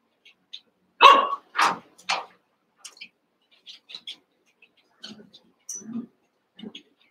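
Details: Cavalier King Charles Spaniel puppies, Daisy's litter of six joined by Robin's two remaining pups, at play. Three loud, rough barks come in quick succession, followed by softer scattered yips and squeaks over several seconds.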